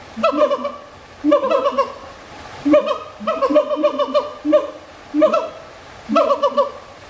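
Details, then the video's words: Siamang giving a string of rich, harmonic calls: short pulsed bursts with a chattering, laugh-like quality, repeated roughly once a second, with brief quiet gaps between phrases and no other clear sounds. "Siamang Vocals"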